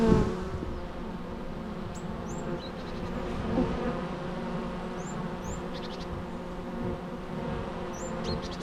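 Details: Bee buzzing, natural: a thick, constant low hum with many harmonics, while faint short high bird chirps sound now and then in the background.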